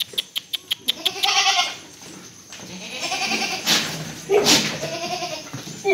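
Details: Goat breeding buck at a farm in Delua, West Bengal, India, bleating in three wavering, nasal calls of about a second each, after a quick series of sharp clicks, with faint talk behind.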